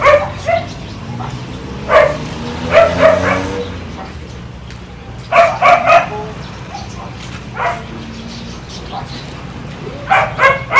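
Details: Kiefer, a one-year-old German Shepherd family pet in Bohol, Philippines, barks in short bursts of two or three sharp barks spread across the recording, with quieter gaps and faint background sounds between them.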